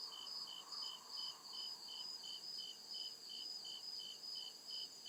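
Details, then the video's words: Real crickets in the deep woods after dark, evenly spaced shrill chirps repeating about two to three times a second, layered over a steady high-pitched insect hiss and a low murmuring background. "CRICKET CHIRPING SOUND"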